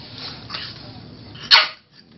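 A French Bulldog puppy gives one short, sharp, bright yip after a stretch of quiet room noise.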